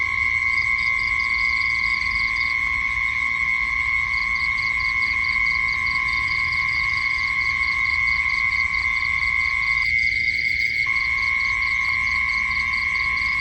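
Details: At night an unbroken piercing insect drone sounds alongside fast rhythmic chirping. The chirping pauses briefly early on and then resumes, and the lower hum cuts out for about a second.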